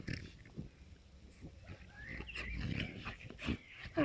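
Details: A Moscow watchdog x Amstaff dog and a French bulldog at play, giving snorting grunts, low growls and a brief thin whine in uneven bursts.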